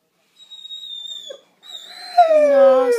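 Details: Howling Great Dane female reacting to her owner's departure: a faint high whine, a brief pause, then a loud drawn-out howl sliding slowly downward, with a woman telling her in French to stop.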